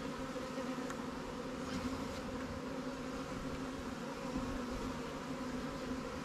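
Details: Buzz of a honey bee colony in a new swarm hive being checked by its keeper; an even, continuous hum with a steady tone and a few faint ticks near the start.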